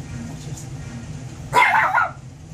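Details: Miniature Pinscher/Chihuahua mix puppy, a female about 15 weeks old and once a stray, playing with and digging into her pillow. Soft rustling first, then a single short, harsh yip lasting about half a second.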